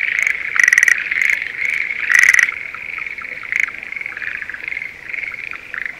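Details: Breeding-season Schlegel's green tree frog calling in a spring rice paddy near Sendai: a few short, rattling bursts with bright overtones stand out against a steady, dense chorus of similar frogs.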